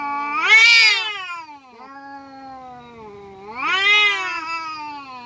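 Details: A cat fighting with another, giving a sharp rising screech, then a long low droning moan, then a second swelling screech near the end.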